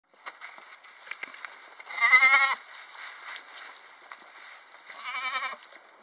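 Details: Goat gives two wavering, quavering bleats, one at about two seconds and a softer one near five seconds, over light background clatter.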